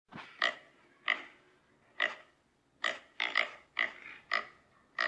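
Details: Pig giving a run of nine short, harsh squeals, each a brief broadband burst spaced roughly half a second to a second apart, with a steady low background hum between them.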